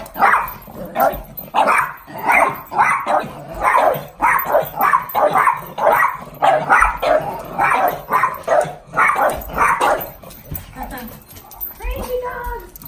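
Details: Excited pugs going nuts at the sound of the garage door as their owner comes home, a fast run of hoarse, overlapping barks for ten seconds, ending in a higher, whining yelp.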